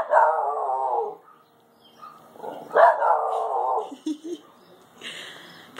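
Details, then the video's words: Pet Shiba Inu in a back yard reacting to a bird caught in a bush, giving long whining, harmonic barks that waver and fall, while a woman talks calmly and urges it inside. "Shiba Inu barks at bird!"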